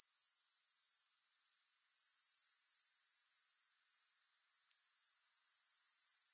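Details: Grasshopper sound with no music: a very high, dense, rapidly pulsing buzz that cuts out briefly twice, near one second and again after three and a half seconds, then swells back to full strength.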